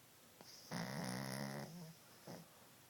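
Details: Sleeping dog Cassie gives a single drawn-out snore, a buzzy, harmonic rasp lasting about a second, framed by faint breaths before and after.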